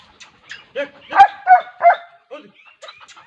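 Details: Wolf dog, a popular breed in Pakistan and Sindh, giving a series of short barks and yelps with tonal whine, three strong notes close together mid-sequence, with a person's voice and scattered clicks around them.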